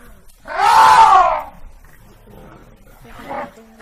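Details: Brassy, harmonic trumpet from an African elephant lasting about one second, rising and falling in loudness, followed by a softer, shorter second call.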